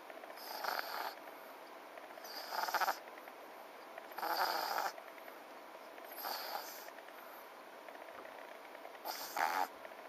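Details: Sleeping French Bulldog snoring: rough, breathy, rasping snorts about every two seconds, five bursts in all, each a short hissing rattle with quiet pauses between.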